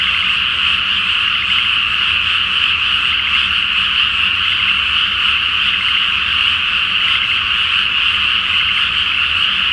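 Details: Massed frogs calling at night over a flooded Japanese rice field before planting, beneath a full moon; steady, shrill croaking trills overlap into one constant roar, faint low rumble beneath.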